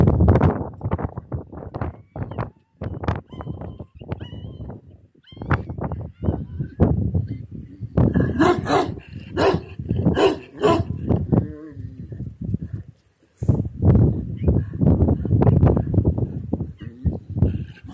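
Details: Kangal puppy at a breeding farm giving short low barks and yips in irregular bursts. A tonal whine rises through the middle stretch, then rapid barking resumes after a brief silence.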